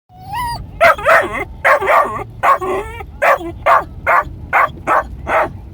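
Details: Male Australian Shepherd puppy, three and a half months old, with a red merle coat, fussing during a car ride: one high whine, then a steady run of sharp, yappy barks at roughly half-second intervals.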